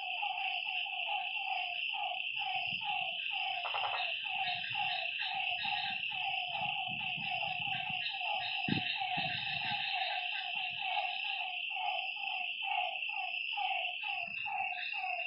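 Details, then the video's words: Nighttime lakeside frog chorus, with many animals giving quick, repeated honking notes that overlap continuously beneath a constant shrill buzzing drone; faint low rustles in the background. "Lakeside night creatures and frog sounds"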